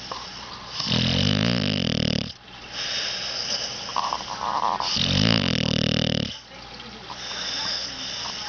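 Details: Pet puppy snoring: two long rasping breaths with a buzzy, harmonic tone, each lasting over a second, separated by quieter breathing, over a steady background hiss.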